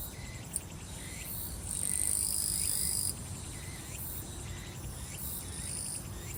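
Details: Grass insects singing in summer on Soyosan, Korea: a continuous shrill buzz from about 1.7 to 3.1 seconds, then fainter buzzing, with regular pulsed chirps repeating underneath and a low steady rumble.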